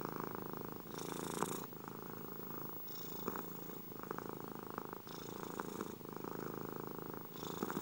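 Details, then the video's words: Close-up cat purr for relaxation: low vibrating drone with faint rhythmic flutter, brightening into breathy hiss on some breaths every one to two seconds, otherwise even and uninterrupted. "ronronnements des chats"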